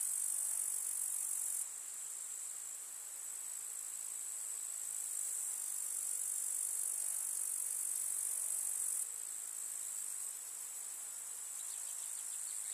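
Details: Summer meadow grasshoppers chirring in rural countryside among wildflowers, a steady sizzling high buzz with faint rapid pulsing, shifting abruptly in loudness at around two and nine seconds. A soft low hum appears briefly near the end.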